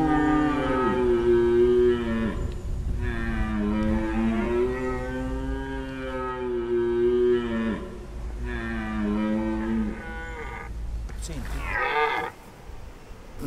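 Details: Corsican red deer stag roaring during the rut, heard at a bearing of 280 degrees in a roaring census in Sardinia: long, deep, harmonic moaning roars rising and falling in three bouts, followed by a person speaking Italian.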